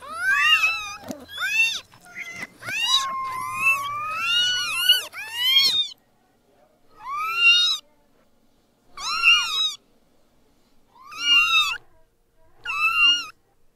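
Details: Newborn kittens mewing: six seconds of rapid, overlapping high mews from several kittens, then single thin, wavering mews spaced about every two seconds with quiet gaps between.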